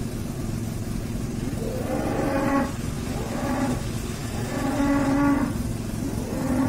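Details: Tame cows being fed by a cattle farmer at an animal market; several hoarse, drawn-out moos about a second long, with continuous engine and traffic noise underneath.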